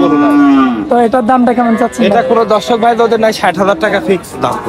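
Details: Young bulls for sale at the Oronkola cattle market after Eid. A low, drawn-out moo opens with a slight downward slide. Loud, overlapping human voices follow and fill the rest of the scene.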